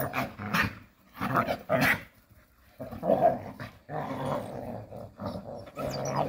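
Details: Jindo dogs at play in the countryside trade low rumbling growls and gruff bark-like huffs, about one burst every second or so, with brief pauses between the scuffles.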